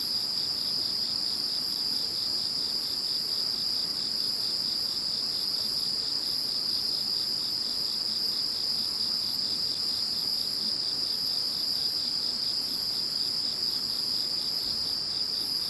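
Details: Following the passage of Typhoon No. 21, a night-like insect chorus rings on: a constant piercing trill plus higher repeated pulses in bursts, with no other sounds.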